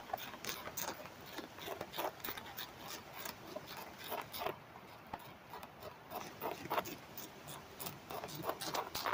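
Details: Home-reared Manduca sexta caterpillars in Germany, summer 2023, chewing tobacco leaves. A headphone microphone held against the leaf records rapid, uneven crisp ticks and crackles, about three per second, with softer rustling between them.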